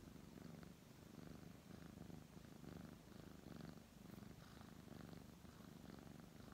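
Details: Brown tabby domestic cat purring while being stroked by a man: a steady low rumbling purr that swells and fades in rhythmic pulses with each breath, continuous throughout with no other sounds.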